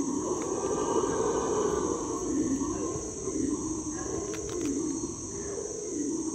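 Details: Howler monkeys roar in a deep, rumbling chorus over a steady high insect drone, heard from a canoe in the hot, humid Ecuadorian Amazon; these howls can carry up to a mile.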